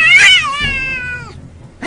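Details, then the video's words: Cat giving one long, loud meow that starts high and bright, then slides down and fades over about a second, with a brief soft sound at the end and a person's voice nearby. "Funny Cats Fight"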